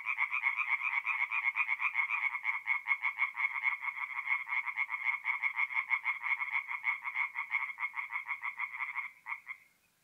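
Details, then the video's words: Tree frogs calling after dark at a forest pond, north-east Italy, mid-April; a long run of quick rattling croaks, slightly uneven in pace, dying away in the last second. "relaxing forest pond by night with singing tree frogs"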